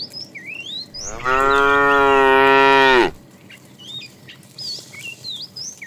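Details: A fat, tame cow in a herd being driven in the afternoon calls the female with one loud, drawn-out moo of about two seconds. The moo is steady and rich, then drops at the end, while small birds chirp and whistle throughout.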